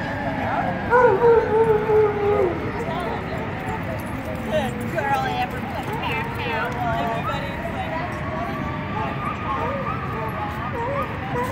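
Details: Several dogs howling at a fire truck siren: wavering, overlapping tones that rise and fall over a steady background, with some faint yips and a person speaking nearby.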